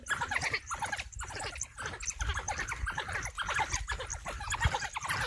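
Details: Pack of African wild dogs confronting a large male lion in Balule Nature Reserve; a dense, continuous chorus of overlapping high chirps and squeaky twitters from several animals, with a low rumbling background.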